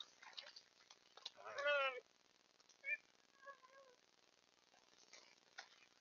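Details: A beaver on the edge of a beaver pond in central Alberta, caught by a trail cam, gives a nasal, wavering whine lasting about half a second, then a short squeak and a few thin falling whimpers; soft clicks and ticks.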